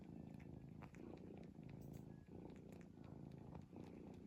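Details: Steady snoring from a sleeping cat: throaty low rumbles pulsing with each breath, around forty-four swells a minute, quiet room behind.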